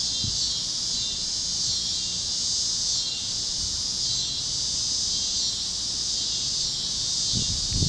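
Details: Cicadas chirping at sunset over Kansas fields on a warm evening on the great plains, a steady high-pitched buzzing chorus that swells and fades slightly every few seconds, with faint low rumbles and other critters beneath.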